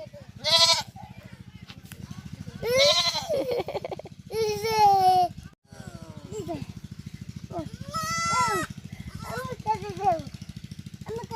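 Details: Young goat kid at play with a boy, bleating in shaky, vibrato cries that rise then fall, roughly five across the stretch, mixed with lively Bengali voices and a constant low droning hum.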